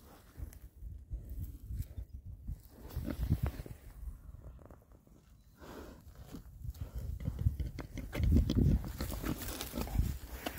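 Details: Six rare breed Oxford Sandy and Black boars foraging in winter between storms; quick low grunting that swells to a loud, busy run of grunts and snorts near the end.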